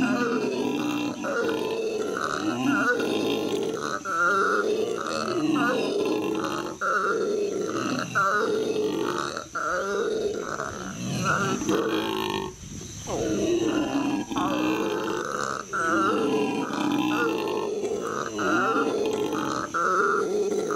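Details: Howler monkeys at the L.A. Zoo, May 2014, howling: a continuous, loud, guttural roar built from rasping, pulsed bursts that swell and dip, with short breaks near the middle.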